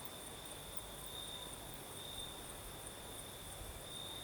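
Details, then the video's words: Night chorus of crickets in southern Crimea under a night breeze, a continuous high-pitched ringing trill with slightly louder pulsing bursts, a gentle low murmur of background noise beneath. "Сверчки поют"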